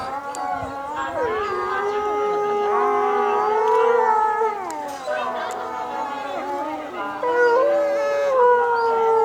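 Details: Chorus howl of captive wolves at Asahiyama Zoo, Japan, 8 March 2012, 15:15, answering the closing-time announcement; many long sustained voices overlap, gliding up and down in pitch and swelling together over nine seconds.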